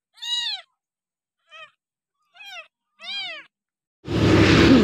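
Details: Kampung kitten, discarded by its owner and hand-reared with a milk bottle on day six, makes four short high mews about a second apart, ending in a burst of rustling handling noise.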